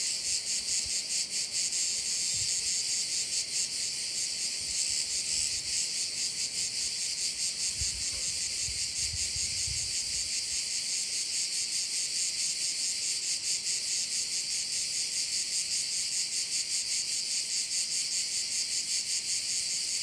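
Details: A bay on Korčula filled with cricket sound: an unbroken high sizzling buzz beating roughly two and a half times a second for twenty seconds, with a few faint low thuds near the middle.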